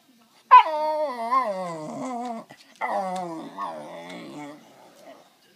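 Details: Male West Highland White Terrier begging for a treat, giving a long howling whine that starts high and slides downward, then a second wavering, moaning vocalisation after a brief pause, in a quiet room.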